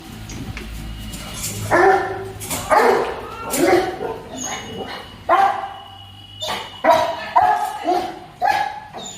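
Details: A Rottweiler, which gets angry whenever it sees a cow, barks in harsh, deep bursts about every second to drive a cow away.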